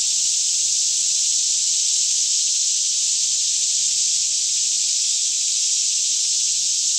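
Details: Daytime chorus of cicadas singing all around in a lush green Kentucky forest near Franklin, about 10am in fairly still air, filmed with a Canon 5D Mk2: a steady, unbroken high-pitched shimmering drone with a faint low hum beneath.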